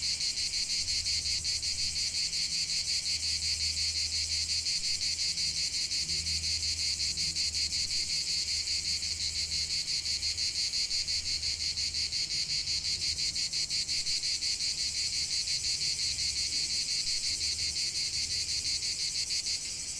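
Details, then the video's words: Unbroken chorus of cicada song outdoors, a bright shrill drone with rapid regular pulsing and a steady level, over a soft low rumble. "45 min de chant des cigales"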